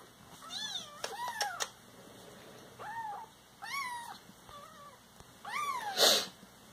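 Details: Domestic Siamese cats give short rising-and-falling meows, some chirp-like, mixed with sharp clicks and a loud rustling burst near the end, over a faint steady hum.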